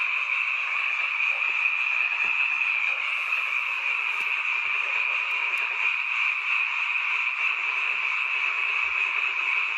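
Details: Night-time frog chorus at a rural mountain home, audible only in this season; countless overlapping croaks merge into a continuous high, buzzing wall of sound with a few soft knocks.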